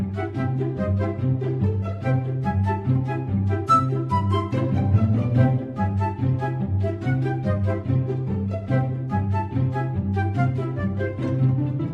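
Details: Upbeat instrumental music plays throughout with a repeating bass pattern and a lively high melody; no animal is heard.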